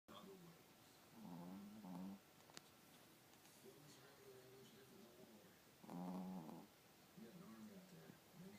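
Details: Chihuahua puppy snoring while asleep: two slow, low rasping snore bursts, each about a second long, around two and six seconds, with quieter breathing between and faint background noise.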